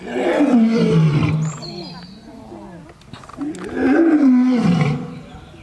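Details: Two powerful lion roars from the African savanna, each a loud, rasping call that rises slightly and then sinks low, separated by a quieter gap of softer rumbling.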